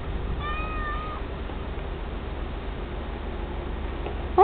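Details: Tabby cat living with a White Swiss Shepherd dog gives a single steady, drawn-out meow lasting about a second, over a constant background hum, with Hebrew speech nearby.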